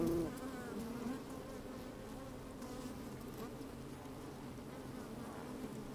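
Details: Honey bees working inside an open hive on a fine, sunny day, microphone slid down into the hive: a steady low droning hum with a tonal band, faint rustling of bees moving about.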